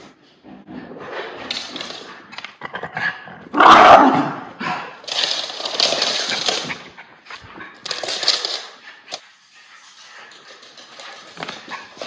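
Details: Two Miniature Schnauzer brothers, Levi and Lucky, play fight and chase each other indoors right after haircuts, August 2021, Maine. Rough, broadband growling bursts come in uneven spurts, one loud snarl near the middle, with scuffling between.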